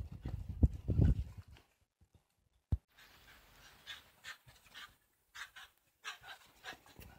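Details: Excited Shiba Inu in a backyard on a winter morning, 18 January 2023, before a walk while its leash is put on. Low thumping scuffles open, then a string of quick, breathy, hissing pants in irregular bursts.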